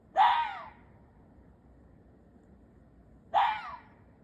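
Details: Two raspy, breathy barks from an Ezo red fox about three seconds apart, each harsh and slightly drawn out with a downward slur, against soft steady background noise.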